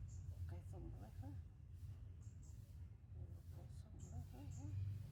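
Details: Newborn kittens sleeping together after milk give a run of short, thin, wavering mews, rising then falling, in quick clusters over a steady low hum, with faint high chirps in the background.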